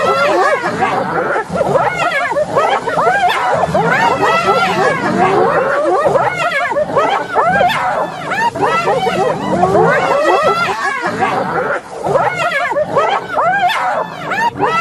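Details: Many hyenas cackle at once in a continuous, crowded chorus of rapid, quavering high squeals and yelps without any real pause.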